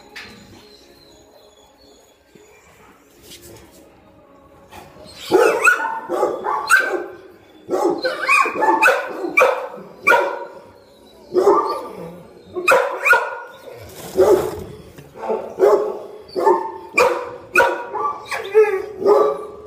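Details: Golden retrievers described as aggressive when their food bowls are picked up, barking and growling. First five seconds are quiet with faint sounds, then loud repeated barks, some overlapping, come in quick bursts until the end.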